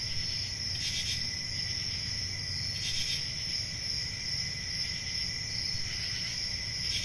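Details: High, ringing cricket chorus from a forest on a summer night, unwavering throughout, with three brief hissing flares at irregular moments and a gentle low rumble beneath.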